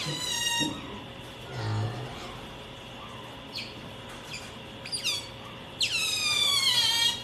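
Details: Pet otter clinging to its owner gives high, squeaky chirps with stacked harmonics: a short burst at the start, then a longer run of falling squeals near the end, over a steady indoor hum with a brief human voice.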